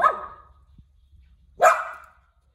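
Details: Cute little dog barking inside the home: two loud, harsh single barks about one and a half seconds apart, with a faint low hum beneath.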